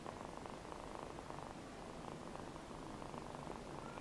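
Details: Namba, a rescued feral kitten with one eye, gives a continuous low purr, a close buzzing flutter pulsing rapidly and evenly for the whole few seconds, with quiet indoor background hiss.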